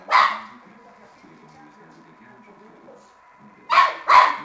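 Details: Playful Shar Pei puppy with a tennis ball: one sharp bark, a long quiet pause, then two quick barks close together.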